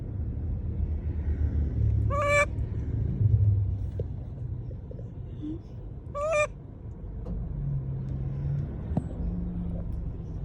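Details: A monkey calls to people with two short wavering squeals about four seconds apart, each stepping downward in pitch, over a low vehicle rumble.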